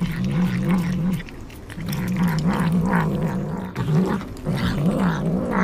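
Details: A kitten growls while eating sea cucumber, its favourite food: a steady low wavering growl that runs nearly continuously, pausing briefly near the middle, with clicks and chewing noises above.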